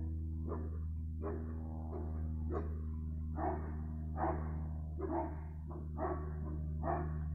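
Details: Dog barking, 15 February 2020: evenly spaced hoarse barks, roughly one per second, partly buried under a loud, constant low mechanical drone.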